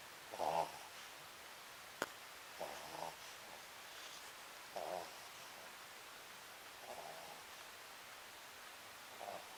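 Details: Sakura, a pet Papillon, snoring while asleep indoors; soft nasal rasping bursts come about every two seconds, five in all, with quiet room hiss between them.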